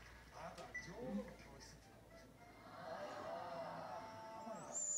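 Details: Komugi, a five-month-old red Akita puppy kept on a leash in October 2018, calls in a sad voice when her companion Patako, a brindle Akita aged one year three months, is out of reach: short, wavering whines with overtones, then a longer drawn-out cry.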